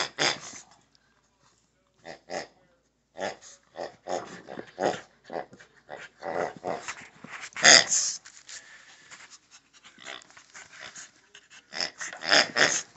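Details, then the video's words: Indoors with a pig toy, a pet Shih Tzu lets out scattered short grunts and growling snorts, some close together and others separated by gaps of a second or more, with a louder burst in the middle. "Olive the Shih Tzu Plays with a Pig"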